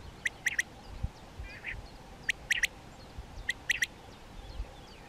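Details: European ground squirrel (Spermophilus citellus), a diurnal species living in colonies that communicate by voice: short, sharp, high chirping calls given in quick pairs and triplets, three bursts over five seconds, over a low background rumble.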